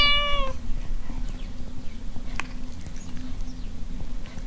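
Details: Domestic cat Frida gives a single short, clear meow, level and slightly falling at its end, followed by several seconds of low rumbling room noise and faint clicks.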